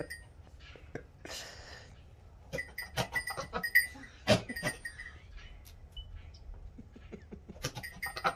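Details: A male myotonic (fainting) goat, rebuffed while courting a female, makes wet licking sounds, snorting mouth breaths and sharp spitting sounds: courtship sounds.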